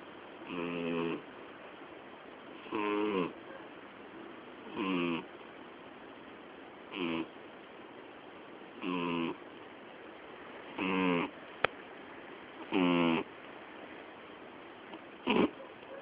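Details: Miyabi, a female cat turning twelve on October 20, sleeps indoors with snoring loud enough to drown out the television: eight raspy, harmonic snores, each about half a second to a second long, arriving roughly every two seconds with quiet breaths between.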